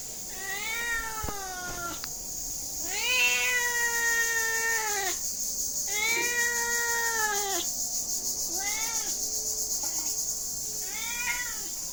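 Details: Repeated cat meowing, about six calls over twelve seconds, some long and falling, later ones shorter and softer, over a steady high-frequency hiss.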